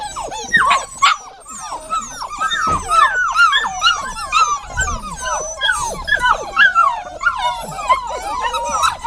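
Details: Several dogs whining together in a dense, overlapping chorus of high, thin, wavering whimpers. The calls slide up and down, each lasting under a second, and they crowd one another without pause.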